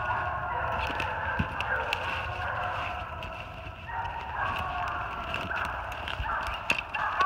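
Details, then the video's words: Three Treeing Walker Coonhounds, Anna, Boomer and Bigboy, treed on a big den 450 yards off in New Jersey on 28 March 2018. Distant overlapping bawls and chops form a steady, ringing chorus with scattered sharp clicks nearby. "LOUD MOUTH WALKER DOGS TREED ON A BIG DEN 450 YDS"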